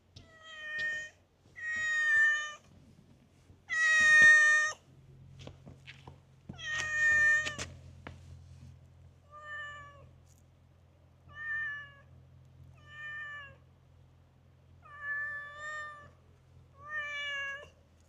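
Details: Talkative stray cat met in a park, meowing again and again: ten harmonic-rich meows, the first four loud and clustered, then softer, evenly spaced calls, over a low steady hum.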